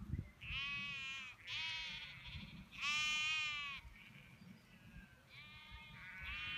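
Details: Sheep in the English Cotswolds bleating repeatedly: four wavering, nasal baas of about one second each, the third loudest and longest, over a steady low rumble.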